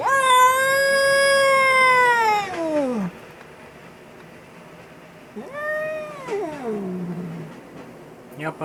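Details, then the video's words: Angry cat screaming with a loud sustained yowl that slides downward over about three seconds, a quiet pause, then a second shorter yowl rising and falling; a man's voice faintly in the background. "Angry Cat is Yelling and making Horrible Sounds!"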